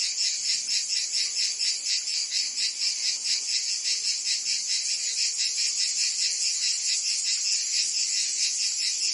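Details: Summer chorus of cicadas in Provence, France, a shrill continuous buzz pulsing rapidly and evenly, sitting high with nothing in the low range, constant volume from start to finish.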